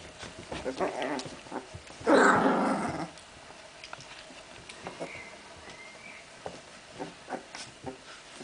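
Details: Playing puppies from Memphis-true Olga and Scarko de la Betoule: one loud rasping growl lasting about a second amid soft scuffling and faint background noises.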